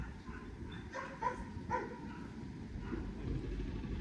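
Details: German Shepherd during basic obedience training, giving a short run of sharp barks near the start and middle, then quieter, over a steady low rumble of background noise.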